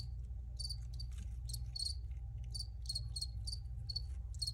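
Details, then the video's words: Crickets chirping close up: crisp, high, slightly ringing pulses, about two a second, some overlapping from more than one insect, over a low constant hum. "Cricket Sounds"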